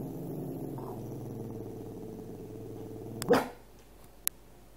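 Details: Wanting its owner's dinner, a Cavalier King Charles Spaniel growls low and continuously for over three seconds before ending with a single sharp bark.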